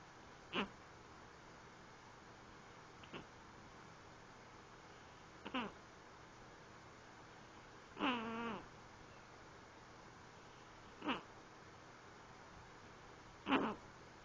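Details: Lexi, a sleeping cat, snoring: six short breathy bursts come every two to three seconds, with one longer, wavering, faintly tonal snort near the middle, in a quiet indoor room.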